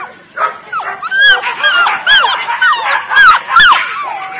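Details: Nine Weimaraner puppies (5 males, 4 females), born 23 June 2017, whimper and yip in overlapping, high, wavering squeals.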